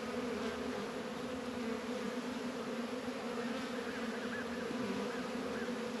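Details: Many honey bees active at the apiary on a 72-degree February day in northern Kentucky: a dense, unbroken buzzing hum, slightly wavering, with faint higher wingbeat whines passing over it.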